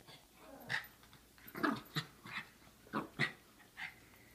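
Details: Three Chihuahua mixes, small dogs, give a series of short sharp yapping barks, about seven bursts spaced unevenly over four seconds, indoors with a quiet background.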